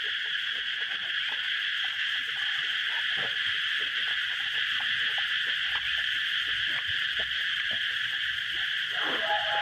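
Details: Outdoor chorus of cicadas in Thailand, heard while someone eats. A continuous, high, shrill buzz holds level throughout, with soft clicks, taps and brief mouth noises in the background.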